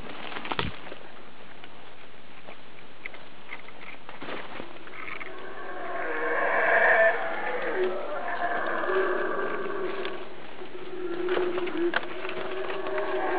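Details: A howler monkey, unseen somewhere overhead and close by, gives a deep, rasping roar that swells in the second half and rolls on unevenly.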